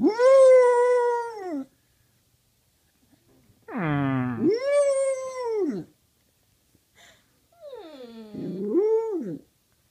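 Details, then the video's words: Domestic dog's lazy indoor howl, vocalising as if saying "I love you": three drawn-out arched tones, each rising then falling, the first about one and a half seconds, the middle one starting with a rough growl, quiet room otherwise. "howls lazily and says I love you"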